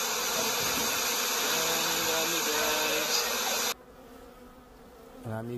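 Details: Honeybees in Canada, a busy mass of buzzing with several overlapping droning tones; the noise cuts out abruptly, then one bee zooms close with a rising and falling buzz.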